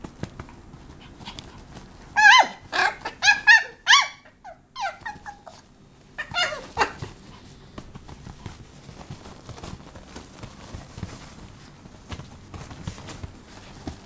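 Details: Papillon puppy Taro in a small room, a tumbling cluster of high, uneven yaps and squeaky whines over about four seconds, followed by scattered faint knocks and shuffling noise.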